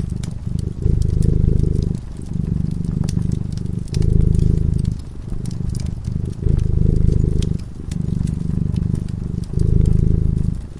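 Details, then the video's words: Domestic cat sleeping peacefully in front of a crackling fireplace, purring steadily: a low, rumbling throb swelling and easing in phases roughly every two seconds, with sharp pops and crackles of burning wood scattered over it. "Purring cat"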